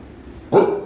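A Golden Retriever gives a single sharp, full-bodied bark after a moment of quiet.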